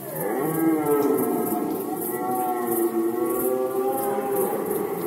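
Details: Red deer stag in Poland during the 2020 rut season, giving a long, deep, moaning roar with rich harmonics that holds steady for about five seconds and swells slightly in the middle.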